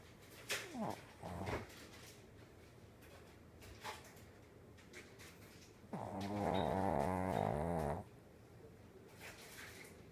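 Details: A pet Shih Tzu snores loudly with short snorts, then a long, deep, rattling breath that sounds almost like a cow's moo.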